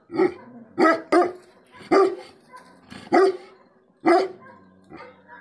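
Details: Tibetan Mastiff (Bhote Kukur) giving angry barks: six loud, resonant barks at irregular intervals, including a quick double bark near the start, with softer grumbling sounds between them.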